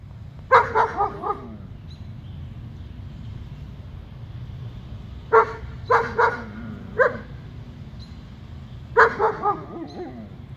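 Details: Two German Shepherds, one wanting the other's bone, give short harsh barks and yips in clusters, two or three quick barks at a time with pauses between, over low background rumble.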